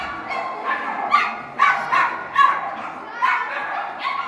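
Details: Poodle competing in an A3 Chibi individual agility run at the International Poodle Championship, indoors in a large hall; short, sharp barks come in an irregular burst of about six, with people talking in the background.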